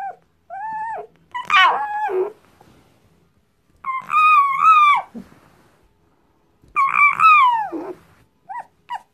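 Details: .Fox, a tame female kept indoors, in a nervous mood after waking and refusing to be petted: loud, high, wavering squeals in three long bursts with short harsh yelps between, and a few brief notes at the end.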